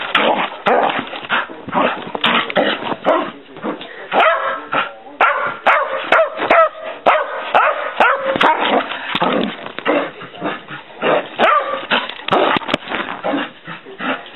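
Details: Excited female dog racing around the house, barking nonstop in a rapid, irregular stream of short, sharp barks and yips, roughly two per second, with a human voice now and then in the mix.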